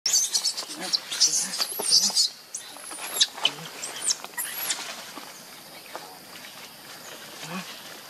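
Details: Baby monkey named Leo, missing its mother and hungry for milk, gives thin high-pitched squealing cries: quick rising and falling whistled notes in bursts over the first five seconds, then fading into quieter rustling background.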